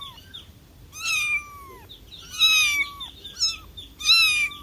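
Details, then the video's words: Cat meows: three long, drawn-out high cries that slide gently downward, with short softer mews in between, over a faint hum. "Cat Sounds for calling cats, cats meowing"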